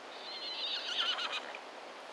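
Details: Wild Konik horses neighing: a faint, quavering whinny with wavering high harmonics, fairly quiet and distant.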